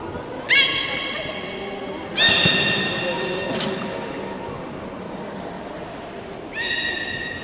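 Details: Belugas in a public training session at Port of Nagoya Public Aquarium, 13:30 on 18 July 2016: three sudden, bright, harmonic calls, each starting with a slight upward sweep, heard at uneven gaps over low hall chatter.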